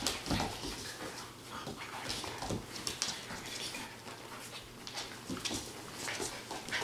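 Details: 8-week-old Standard Poodle puppies give soft whimpers, squeaks and panting amid scuffling noises.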